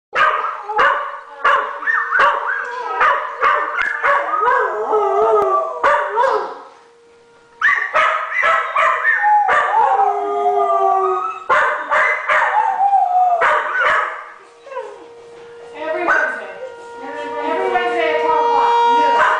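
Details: A Blue Heeler and a rescue dog howl in response to a tornado siren, as they do at any long, steady noise; wavering, overlapping howls are broken by sharp barks, over a steady, droning siren tone.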